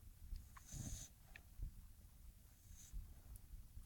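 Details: An English Bulldog snores in low, rough snorts that come in uneven bursts while sleeping and dreaming.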